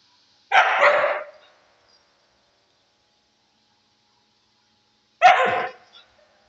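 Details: Siberian Husky described as angry, barking twice in rough, noisy bursts nearly five seconds apart, each lasting under a second, with silence in between.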